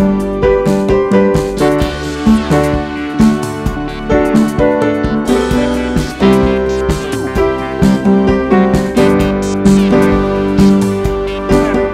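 Steady keyboard music with layered piano and synthesizer chords fills the whole stretch, with no animal calls audible.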